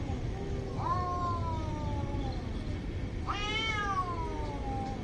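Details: Angry cats squaring off in a fight, two long wailing yowls that rise sharply then slide slowly downward, the second starting near 3 seconds, over a steady low rumble of background noise.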